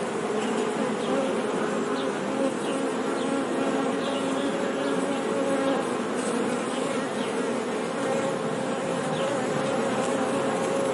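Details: Honey bees giving a soft, steady, continuous hum that holds level throughout, dense buzzing with a low droning tone and no clear breaks, no other sounds standing out.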